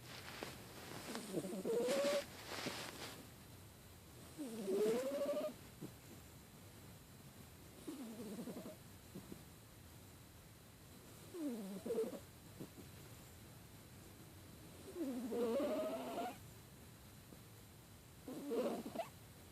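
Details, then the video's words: Pet cat Amy, sick with a cold, snores steadily: each breath brings a wheezy, rattling rasp topped by a thin whistle sliding upward, recurring about every three to four seconds over quiet background hum. "Amy Snoring"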